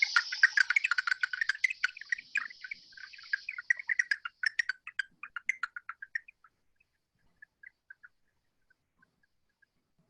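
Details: Slowed-down big brown bat echolocation recorded with an Echo Meter at the Arnold Arboretum, New England: a rapid stream of chirping clicks that thins to scattered pulses; software identified the species from 131 pulses.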